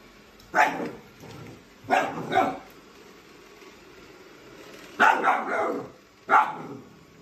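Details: A Siberian Husky puppy chasing a robot vacuum around the house gives short, harsh barks and yips in four separate bursts.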